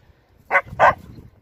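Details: Siberian Husky giving two short barks about a quarter second apart, each a brief broadband burst, over a quiet background.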